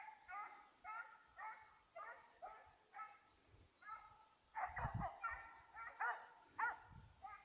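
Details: Petit Basset Griffon Vendéen hounds chasing a rabbit, recorded 5 October 2014; repeated harmonic baying notes in bursts, several voices overlapping in the second half with low thumps.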